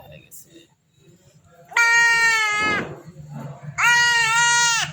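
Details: Goat being castrated, crying out in two loud, drawn-out bleats about two seconds apart, each nasal and strongly harmonic, slightly falling at the end; men talk softly in between.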